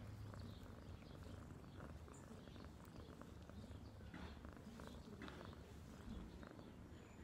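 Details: Pet cat giving a continuous deep purr, an even vibrating rumble held throughout, with a few faint clicks and rustles on top.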